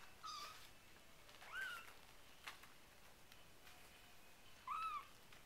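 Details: RagaMuffin kittens from the Winter Wonderland Litter, four weeks old, indoors; three short, high, arched meows with rich harmonics, one near the start, one around midway and one near the end, over soft clicks and handling rustles.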